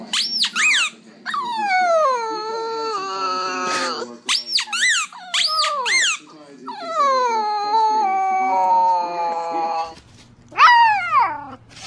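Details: Puppies crying and howling in quick succession: sharp, high squeals that drop steeply in pitch, alternating with longer wavering whines that slowly fall, with short pauses and faint voices in between.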